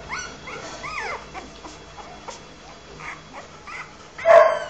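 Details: Newborn Rottweiler puppies nursing on their mother give thin, rising and falling squeaks and whimpers, ending in one louder squeal.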